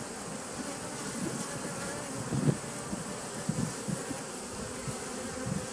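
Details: Bees at a 2017 nucleus colony on 27 September 2018, with short low buzzes from bees flying near the recorder, several louder passes in the middle, over a soft continuous background drone.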